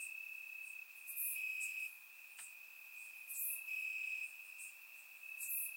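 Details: Crickets in grass at night during a warm Bulgarian summer, recorded in surround sound: an unbroken high trill rising in loudness for about a second at a time, with occasional bright high chirps.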